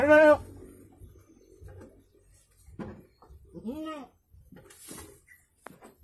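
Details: Goat during the birth of two kids: a loud, strained, wavering bleat opens the recording, followed later by a second shorter bleat, with quiet human speech and rustling in between.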